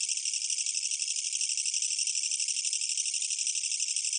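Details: A Korean katydid, recorded in 2020, gives a loud, continuous, high rattling buzz made of rapid pulses.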